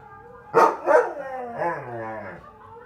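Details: Husky reacting during a try-not-to-howl challenge: two loud, sharp barks, then a longer, wavering, harmonic howl-like vocalisation that slides up and down before fading, with a brief spoken voice at the end.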